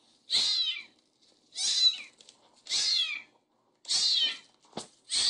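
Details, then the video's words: Little kittens meowing: five or six short, bright, high mews, each under a second, repeated roughly every second with brief silences between, clear and close. "Little kittens meowing and talking"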